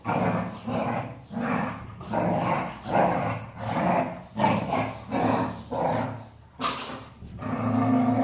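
A Golden Retriever makes low, growly grumbles in a steady run of short bursts.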